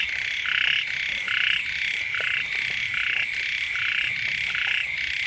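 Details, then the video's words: Frog chorus beside a house at the start of the rainy season, with several kinds croaking together; rasping, pulsed notes alternate between a lower and a higher voice in loose, overlapping bursts about once a second, backed by constant high hiss. "เสียง กบ เขียด ร้อง อยู่แคมบ้าน"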